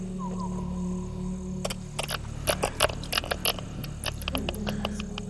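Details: A female silver-haired bat, caught in a net at a pond in the Black Hills for research, gives harsh, irregular audible clicking distress calls, not echolocation, picked up by a bat detector over a steady low electronic hum.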